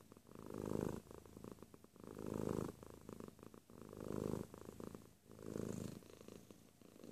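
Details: A cat purrs up close in four even waves, each a gravelly low hum building and fading over about a second and a half, with quiet breathy pauses between.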